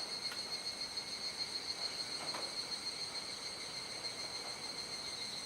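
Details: Chorus of unseen cicadas at nightfall, Kuji, Iwate Prefecture, Japan, 17 July 2017; high continuous ringing with quick throbbing early on and a few sharp clicks and scrapes.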